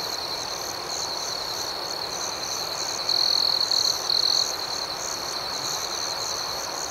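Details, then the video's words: Night chorus of crickets ringing steadily at a high pitch, joined midway by a louder, stuttering trill from one closer insect lasting about a second and a half in two bursts. "Soothing Cricket Sounds"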